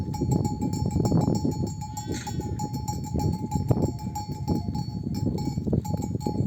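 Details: Mother sheep of a nomadic flock returning from pasture bleat for their lambs to suckle; one clear quavering bleat mid-way stands out over a steady ringing tone and dense low shuffling of the herd.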